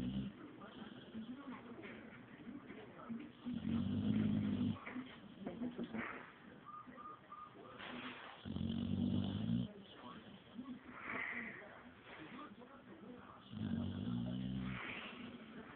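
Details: Female pet dog Atilla, asleep with her tongue hanging out, gives three long, low, rasping snores spaced roughly five seconds apart, with quieter breathing between them in a calm indoor setting.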